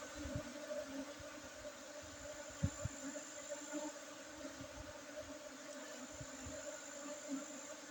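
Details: Droning honey bees at a hive site in Bener Meriah regency, Aceh, Indonesia, during the 5 June 2023 honey harvest. There is a faint, unbroken, low hum over a hissing background with occasional small taps.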